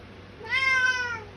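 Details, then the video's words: Loud meow from a Bengal cat at dinner time indoors, a short demand call that swells and then fades over under a second, with a person speaking to the cats around it. "Feeding time (shouting meows)"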